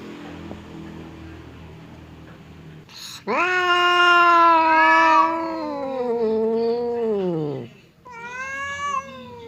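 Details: Fierce cat Temon and quiet cat Lelo growl at each other through a partition, seemingly about to fight: a long, loud, strained yowl of over four seconds that wavers and sinks, followed by a shorter cry.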